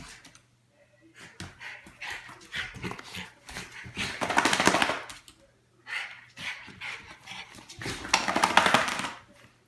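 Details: Indoor miniature schnauzer letting out rapid, rough barks in two loud flurries, around the fifth and ninth seconds, each built from quick noisy bursts, with short quiet gaps and softer yips leading in.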